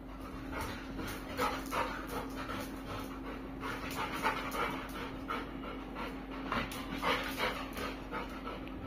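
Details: Kulfie, a Labrador Retriever, pants in quick breathy bursts, roughly two per second, steady and uneven, over a low constant indoor hum.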